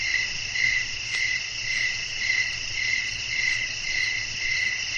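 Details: Crickets on a night with wind, calling in a continuous high-pitched chorus. Sharp chirps pulse a little under twice per second above a steady shimmering buzz.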